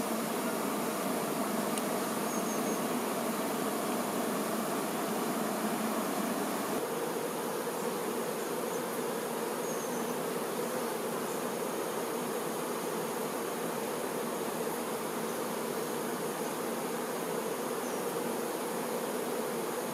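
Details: Worker honey bees attending the queen bee: steady, thick droning of many bees, the hum deepening and strengthening around seven seconds, then holding evenly, with faint higher whines.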